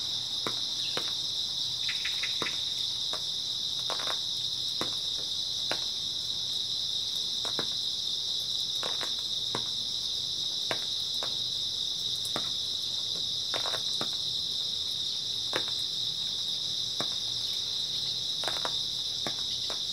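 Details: Grass insects chirping through an early autumn night, a constant bright high-pitched trill without pauses, dotted with frequent crisp clicks and light tapping sounds at uneven intervals.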